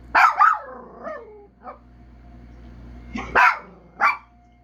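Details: Two quick wailing barks open the sequence, trailing into a descending moan, then a soft yip, and later two more sharp howling barks, from a house dog.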